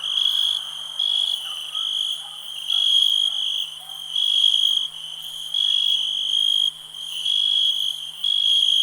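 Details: Cricket chirping in a soothing nature ambience, a bright high-pitched trill rising and falling in loudness in regular-feeling pulses about every second, with faint soft lower calls early on.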